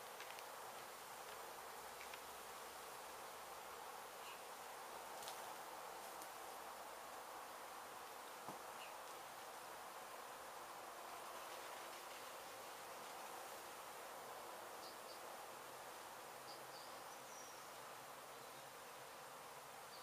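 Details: Continuous droning of a disturbed honey bee colony during the removal of a hive from a demolished abandoned house in Mission, Texas. Many wings merge into an even, unbroken hum, with a few faint higher ticks and taps.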